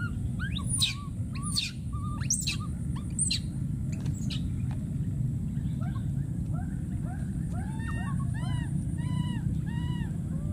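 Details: A wild baby monkey screaming for his friend: a burst of shrill squeaks and short squeals, then a steady run of rising-falling whimpering calls, with a constant low rumble in the background.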